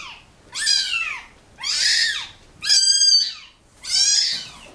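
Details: Kittens left with their mother after being dumped at a turnpike give four loud, high, falling mews roughly one per second, each bright and harmonic-rich, in a quiet small room.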